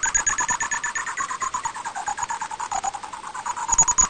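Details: Greater horseshoe bat calls recorded in 2020: a rapid, steady train of buzzy, beeping pulses with an electronic ring.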